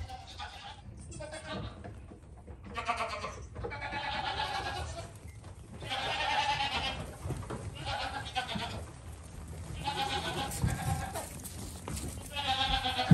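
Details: Young goat kid bleating in a series of wavering, nasal, tremulous bleats, roughly one every one to two seconds with short gaps, over a low background rumble.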